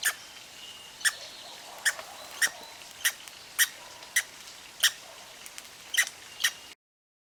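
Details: Little red squirrel with hiccups, put down to eating seeds too fast: sharp, bright hic sounds with ringing overtones, eleven of them spaced roughly every half second to second, over a quiet hiss.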